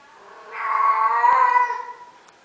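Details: Female domestic cat in heat giving a single drawn-out, nasal, harmonic-rich yowl of about a second and a half, swelling then fading, with a faint click near the end.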